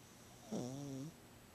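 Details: Gidget, a pet cat who snores whenever she sleeps and was louder than usual today, gives a single low, tonal snore lasting about half a second, a steady buzzing hum with a slight downward bend at its end.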